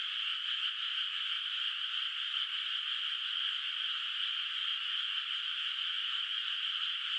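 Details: Distant frogs calling at night from a moonlit rice field whose water is not yet planted, in the countryside; a dense, unbroken chorus of overlapping trilling calls, steady in loudness throughout, with a faint constant high tone above.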